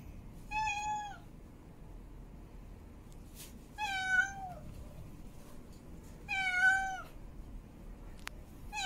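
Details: Female domestic cat in heat giving mating calls: three drawn-out, harmonic-rich meows, each about half a second to a second long with a slight falling bend, spaced roughly every three seconds over a quiet indoor background.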